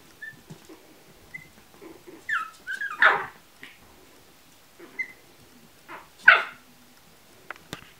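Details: Chihuahua puppies at a breeding kennel give short high squeaky whines and a couple of louder yelping squeals, scattered over eight seconds, while a woman speaks softly to them in Russian nearby.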